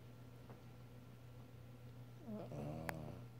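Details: A sleeping dog snores loudly indoors: a low rumbling breath builds near the end into a voiced, rattling snore with a brief sharp click, over a steady electrical hum.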